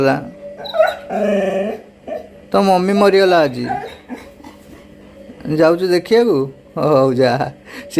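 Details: Grieving Labrador Retriever, its mother reported missing, whimpers and cries in short quavering bursts, the pitch bending and wobbling, four or five bouts close together above a faint steady hum.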